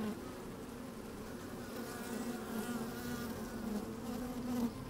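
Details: Working honey bees heard from a microphone placed down inside an open hive on a sunny day: a steady humming drone that swells slightly toward the end.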